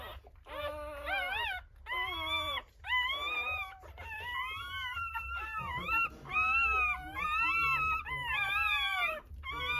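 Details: Newborn Rottweiler puppies just born in a natural delivery: loud, high whining squeals, wavering and rising-falling, repeated about once a second in a near-continuous series, over a low background hum.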